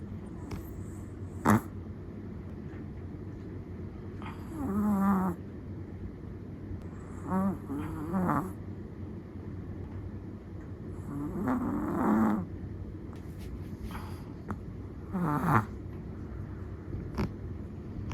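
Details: Chihuahua asleep, snoring in slow, uneven breaths roughly every three to four seconds; each snore has a wavering, fluttering rasp that swells and fades, with faint soft clicks between.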